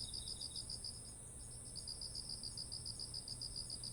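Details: Autumn insects calling beside fields of heavy, ripe rice: a rapid train of high, pulsed chirps, several per second, pausing briefly and resuming, over a steady shrill high whine and a low background hum.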